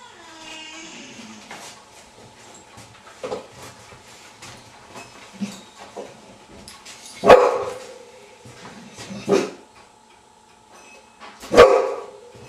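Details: Bull Terrier during a training session with a novel object, a rock, rewarded with carrot; three sharp, loud barks spaced about two seconds apart near the end, preceded by soft whines and light clattering indoors.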